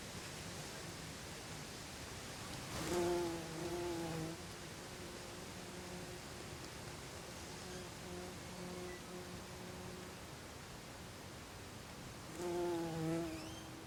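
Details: Buff-tailed bumblebee at its nest after the dance, Olariaga, Oxinaga neighbourhood, Zamudio, Txorierri, Bizkaia, 24 April 2021; a faint steady low harmonic drone swells into two louder buzzing bursts, one early and one near the end.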